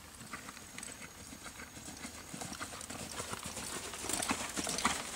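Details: Hoofbeats of a Quarter Horse gelding born in 2007, a reining horse sired by Boomernic out of a Freckles Playboy daughter: irregular, crisp clip-clop thuds about two per second, growing louder and busier toward the end.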